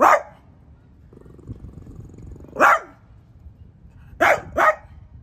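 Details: Indoors, a French Bulldog confronts a new artichoke plant with four sharp, bright barks: one at the start, one after a quiet gap with a soft low murmur, then a quick closing pair.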